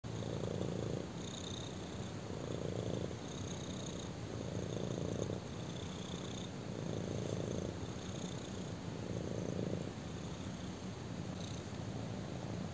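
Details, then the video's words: Black kitten purring while lying on a person indoors; a steady low rumble with breathing cycles about every two seconds, alternating louder in-breath and out-breath phases, with faint higher hissy bands on each breath. "BLACK KITTEN PURRS WHILE LYING ON ME!"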